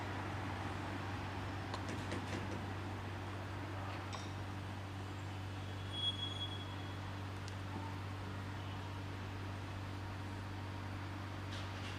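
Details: A steady low mechanical hum, like a vehicle or fan, runs throughout with a few faint clicks and no animal voice.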